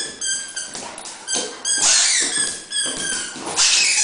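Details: Dobermann at play, giving repeated high-pitched squeaky whines and yelps, irregularly spaced, with clattering broadband noises between some of them.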